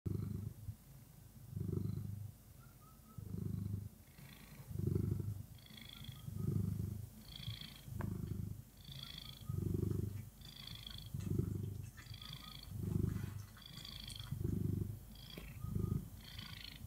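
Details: Orange cat purring happily in the morning, recorded up close: low rumbling purr in pulses about every one and a half seconds, each breath in and out audible as a soft swelling rumble.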